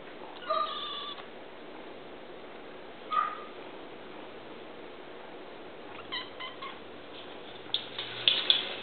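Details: Kittens at a pound calling with several short harmonic meows spaced a few seconds apart, the last ones clustered together near the end, over a constant low hiss.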